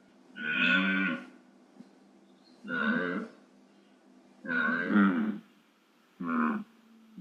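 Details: Deer bellows in the wild, four hoarse, buzzy moans of varying length, the last one shorter and clipped, spaced about 1.5 seconds apart against a quiet background.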